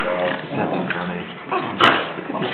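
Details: A Shiba Inu, one of two playing pals, gives a sharp, breathy sneeze over a steady murmur of background voices.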